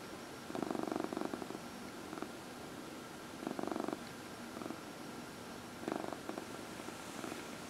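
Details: Domestic cat purring while being massaged, one of four household cats. Rumbling purr rises in three distinct swells of about a second each, separated by quieter stretches of steady low purring in a small indoor space.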